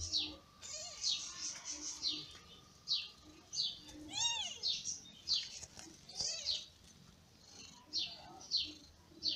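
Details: High, thin downward mews from newborn kittens, born in May to a ginger mother named Lady Ginger, come in a steady run. One fuller arched cry is heard midway.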